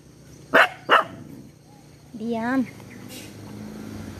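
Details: Pet dog at play, giving two sharp, loud barks in quick succession less than half a second apart, followed by a drawn-out, wavering voiced sound and a low background hum.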